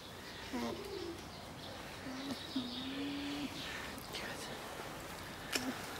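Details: Alpaca (Vicugna pacos) at a quarantine centre hums in low, steady tones, some level and some bending upward, against background noise.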